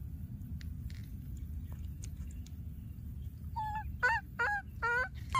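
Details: Wild baby monkey that has lost its playmate, calling repeatedly: after a quiet start, a run of short, nasal, honking cries with rich harmonics, each dipping in pitch, over a steady low rumble.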